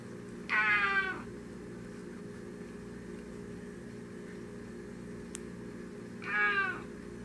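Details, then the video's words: A polydactyl Maine Coon cat, talking, gives two drawn-out, harmonic meows several seconds apart. "One of my Polydactyl Maine Coon Cats Talking"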